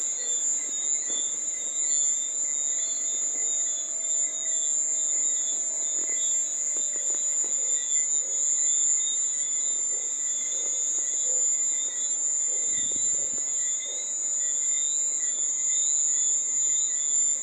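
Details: Continuous shrill cricket chirring held at a constant high pitch throughout, layered over weaker parallel buzzing bands, with a few faint low thuds and clicks in the background.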